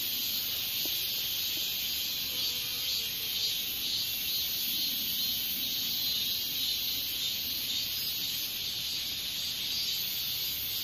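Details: Continuous, piercing high-pitched buzz of a Hexacentrus japonicus japonicus katydid, an insect seen as an adult from early summer into autumn, droning evenly with faint soft tones lower down.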